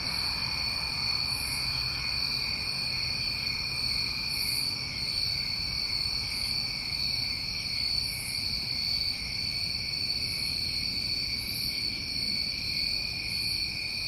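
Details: Many crickets of a New England summer fill the air with steady, droning high trills, punctuated by short piercing bursts roughly every second, against faint low-pitched background noise.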